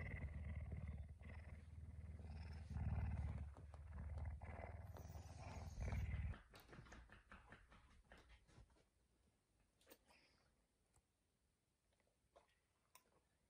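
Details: Pet puma kept indoors, waking its owner early in the morning, around 5 a.m. A deep pulsed rumble holds steady for about six seconds, then fades to quieter rumbling with faint clicks and household noises.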